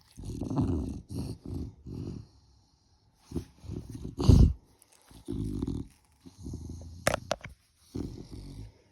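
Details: Sleeping puppy dozing in its bed in the morning, snoring in low rumbling bursts, about one per second at first, then a loud snort near 4.3 s and further grunting snores, with quiet gaps between.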